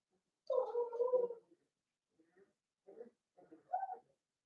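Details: Litter of five seven-week-old Blenheim Cavalier King Charles Spaniel puppies in an indoor pen; one drawn-out, wavering whine lasting about a second, followed by several shorter, softer whimpers and a final rising yip.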